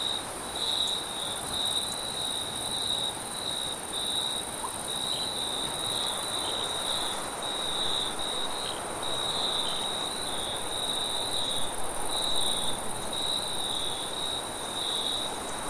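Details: Night-time crickets keep up an unbroken high-pitched trill with small stutters and gaps, plus a faint upper whine and quiet low ambient noise.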